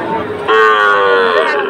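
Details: A Sahiwal bull calf at a Chattogram cattle market on 22 October, where traders are buying. It gives one sudden, steady, rich-toned moo lasting almost a second, with faint market voices behind it.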